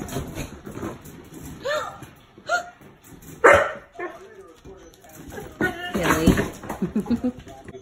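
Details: Two six-week-old puppies, a rescued brother and sister in foster care, playing and learning to bark: a few short, high, squeaky yips and barks in separate bursts, with a person talking quietly to them throughout.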